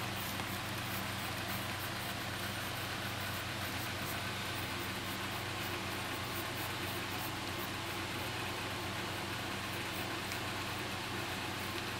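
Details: Continuous engine-like rumble and broadband hiss fill the recording, with no animal voices heard.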